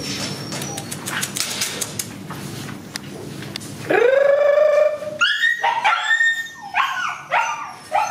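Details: Several Border Collie pups: a few seconds of soft rustling and hiss, then one long, loud, steady whine, followed by rapid, sharp rising yelps and squeals in quick succession.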